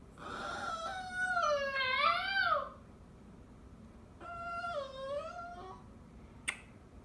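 A Maltese gives long, wavering, screechy wails that bend up and down in pitch.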